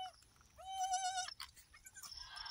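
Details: Goat on a farm during the birth of three female kids gives one clear, steady, wavering bleat of under a second. Clattering and rustling noises follow.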